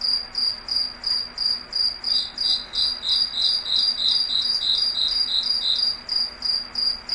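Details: In a foggy forest at night, crickets trill in rhythmic, pulsing chirps about three per second. A second, slightly lower caller chimes in midway, over a steady hiss and faint low hum.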